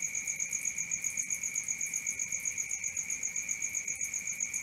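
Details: Crickets at night give rapid, metallic chirps at an even beat near four per second, a constant high ringing with a faint overtone and soft low background noise.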